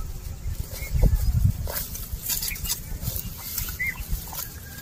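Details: Cows and oxen walking and eating grass: rough, crunchy tearing and chewing bursts, loudest early on, then softer rustling, with a few short bird chirps overhead.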